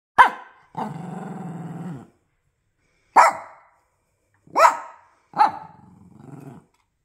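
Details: Pet bully-type bulldog barking: five sharp, loud barks spaced irregularly, two followed by drawn-out low growls lasting about a second each, in a quiet indoor setting.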